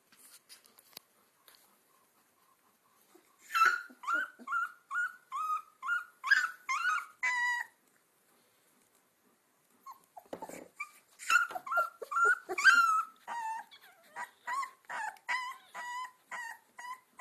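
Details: Two-week-old Alaskan Malamute puppies on one of their first walks give a run of high, squeaky whimpers and yips.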